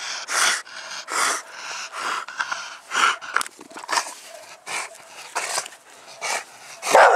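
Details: Panting dog from a household of English bulldog, bull terrier and American bully: wheezy, harmonic breaths in a steady pulse of roughly one puff every 0.7 seconds, ending in a louder rough exhale.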